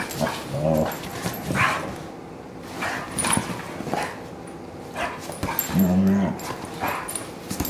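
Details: Two dogs, a German Shorthaired Pointer and a Bloodhound, wrestling playfully on a couch, giving low brief growls at the start and near the end, with yips, panting and steady scuffling between.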